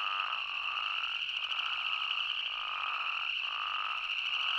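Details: Spadefoot toads and boreal chorus frogs in Yellowstone National Park call together in a dense, unbroken chorus of overlapping trills. It holds a steady mid and high pitch with no pauses.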